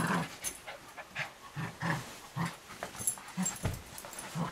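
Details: Riley, a nearly one-year-old male Cavalier King Charles Spaniel, attacks socks indoors at home, growling in short low bursts about every half second between sharp rustling and scuffling noises.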